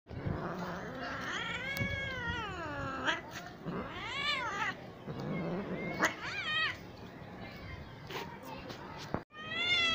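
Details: Cat giving a series of long, wavering meows that rise and fall, some drawn out into caterwaul-like wails, with short breaks between calls and faint background noise.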